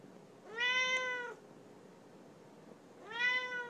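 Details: Chatty female Siamese cat, a pet indoors, talking to her owner: two drawn-out, clear, nasal meows, each holding a steady pitch after a quick rise, about two seconds apart with quiet in between.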